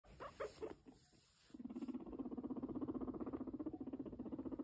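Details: A sheltie guinea pig (Cavia porcellus) purrs while walking, a low, rapid, vibrating rumble pulsing several times a second.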